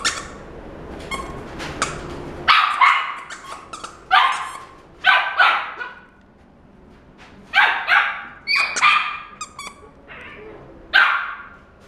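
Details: Female Miniature Dachshund, black and tan, born July 2017, in a pet shop: loud, raspy barks in short bursts of one to three, separated by pauses of one to two seconds, in a small indoor room.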